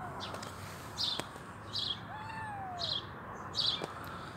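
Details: A hungry kitten, both legs amputated and eyes troubled, gives one long wavering meow that rises then falls, between repeated sharp high-pitched chirping bursts and a constant low hum.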